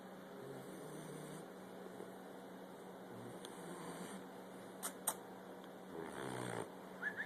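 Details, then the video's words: Tuck, a 12-week-old Olde English Bulldogge puppy, snores during an indoor nap: soft, low, rasping breaths in a small room with a faint steady background hum and a couple of brief clicks. "Snoring Olde english bulldogge @ 12 weeks"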